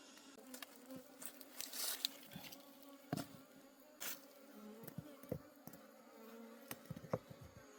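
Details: Buzzing of a wild honey bee colony taken during a forest honey harvest, a low continuous hum broken by repeated sharp taps, knocks and scraping sounds.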